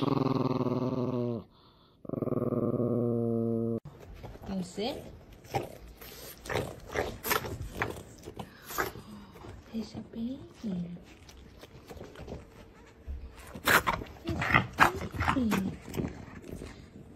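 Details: A pet dog gives two drawn-out, low moaning howls, each lasting over a second with a rich harmonic tone, then people chatter and small household noises follow.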